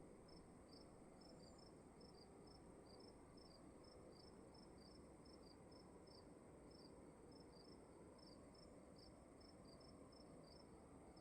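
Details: Indoors in a quiet room, crickets give brief high-pitched chirps in an irregular stream, two voices overlapping, with a constant dull background rumble beneath.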